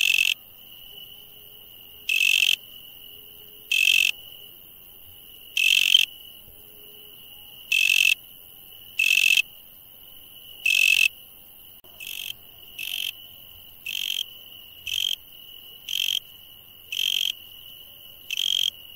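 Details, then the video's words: Nighttime insects: an unbroken high whine beneath repeated harsh buzzes, first about every two seconds, then shorter and quicker, roughly once a second, in the second half. "insect sounds at night"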